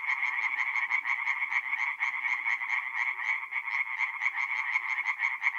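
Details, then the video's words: Singing tree frogs at a nighttime forest pond in north-east Italy, April: loud, grating croaks repeated quickly, roughly two per second, several frogs overlapping in a throbbing rhythm over soft low murmurs. "relaxing forest pond by night with singing tree frogs"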